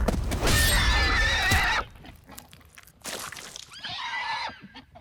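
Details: Wild mustangs running free in eastern California, a herd with young foals and a stallion: a loud, harsh whinny fills the first two seconds, then a quieter wavering, harmonic call rises and falls near the four-second mark.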